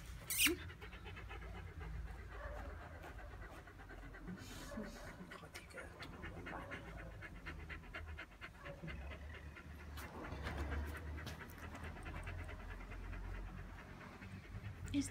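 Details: Mirko, a small Chihuahua with very little fur, panting steadily in quick rhythmic breaths over a low background hum, with a soft voice and a brief knock near the start and end.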